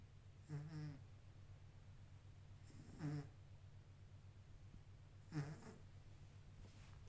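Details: Kitten sleeping and snoring in regular rhythm, three rasping inhalations about two and a half seconds apart, each a soft rattling snore with airy hiss, low steady hum underneath.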